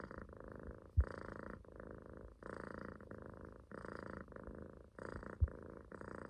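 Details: Munchkin kitten snoring while asleep, relaxed and sitting in a loaf position on its owner's stomach indoors; soft, low, raspy breaths in repeated bursts of about a second, with brief pauses between them.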